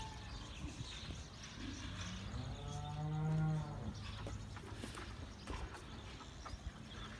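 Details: Sahiwal or Cholistani bull at Bhitaai Cattle Farm before Bakra Eid, Eid ul Adha 2018; a single drawn-out harmonic moo of about a second and a half, rising then falling, over a low steady hum and faint chirps.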